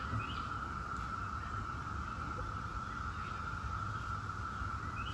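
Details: Brood X periodical cicadas, the 17-year brood, in a steady droning chorus that holds one unbroken high hum throughout, with a low rumble beneath and faint bird chirps above.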